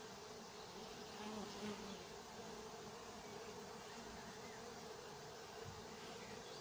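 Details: Busy honey bees at a summer apiary in Nowa Aleksandria, 2021: a continuous mass hum of many insects, with a single lower buzzing tone passing close by around the first two seconds and again briefly near the end.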